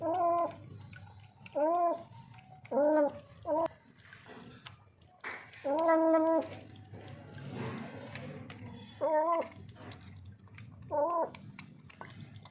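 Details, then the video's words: Hungry, thirsty, scared stray street cat, alone and distressed, calling with a series of loud, wavering, moaning meows, some long and drawn out, spaced irregularly every one to two seconds, while a man coaxes it to drink. "बिल्ली की डरावनी आवाज। एक भूखी प्यासी बिल्ली। Street cat ki scary voice"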